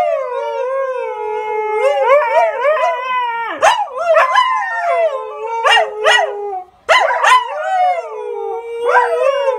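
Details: Pet Siberian Huskies talking to each other in everyday exchange: drawn-out wavering howls broken by sharp rising-falling yelps and woo-like syllables, a short pause near seven seconds, then the sliding howl resumes.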